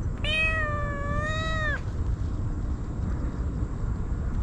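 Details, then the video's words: A single long, wailing meow lasting about one and a half seconds, level then sliding down at the end, from a stray kitten crying while frantically eating Churu and Sheba, GoPro footage; then low steady background noise. "かわいい子猫 とにかく必死で鳴き叫び続ける 野良猫"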